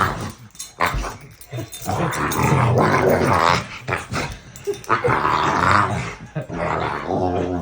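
An American Bully dog makes deep, rumbling, growly moans that rise and fall in uneven bursts.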